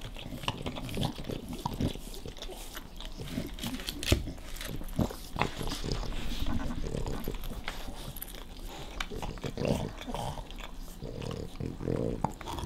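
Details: Dog Nash guards his favorite bone, propped on a tire, against playful puppy Carla. Deep rumbling growls rise and fall across the clip, mixed with crunching, sharp knocks and faint human voices.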